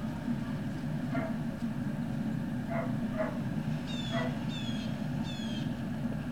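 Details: Great Dane puppies recorded on 18 November 2018 in the early afternoon: a few short, scattered yips, then three thin, high whines in quick succession, all over a steady low mechanical hum.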